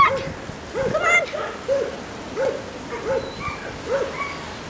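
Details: Hungarian Vizsla puppies on a farm, young litter making soft, repeated high whimpers and squeaky whines in short bursts, several overlapping, over a faint hiss.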